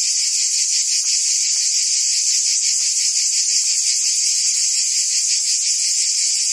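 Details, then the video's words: Forest cicadas in the trees produce a constant piercing buzz, thick and unvarying, with subtle fast pulsing woven through the high drone. "Ambient Cicada Sounds"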